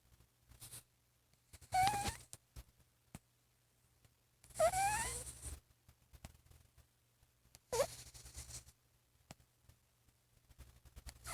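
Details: Cat asleep and dreaming, giving three short whining moans with rising squeaky tones about every three seconds, interspersed with soft breathy sounds and faint clicks in a quiet indoor room.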